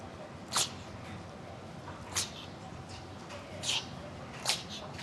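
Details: Chihuahua in a sneezing fit, giving four short sharp hissing sneezes spaced about a second or more apart over a steady background hiss.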